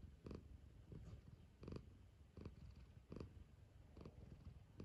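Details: Domestic cat purring cosily while waking up for breakfast indoors; a low, steady rumbling purr with a rhythmic swell roughly every second and a half, each stronger pulse reaching higher.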